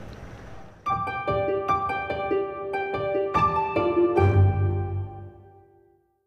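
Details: Plucked harp notes ring out in a gentle rising and falling melody, with no animal voices.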